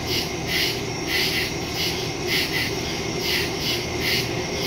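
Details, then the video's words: Woodland crickets at night, recorded on September 2, 2023 with a Samsung Galaxy S22 Ultra and Shure MV88+ stereo microphone; bright, raspy chirp bursts pulse rhythmically, slightly uneven, against a soft continuous hiss. "Crickets in the woods at night"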